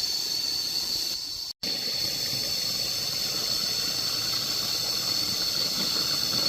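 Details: Continuous shrill cicada chorus, an even metallic buzz without pulses, cut by one brief moment of silence near the start before the droning resumes at full strength.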